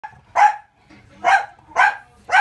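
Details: A French Bulldog barks inside a cupboard in the bottom of an entertainment center, enjoying the echo and seeking attention, giving four short, gruff barks roughly one every half second.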